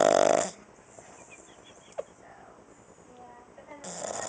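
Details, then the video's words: Sleeping female dog lying on her back, snoring at a house during summer vacation: the end of one loud rasping snore, a quiet breathing pause with a soft click, then the next harsh snore beginning. "Snoring Dog"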